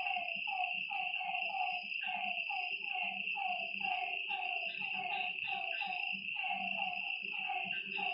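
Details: Frogs at night near a lake calling in a dense chorus of short descending croaks, several animals overlapping, with a steady insect drone above.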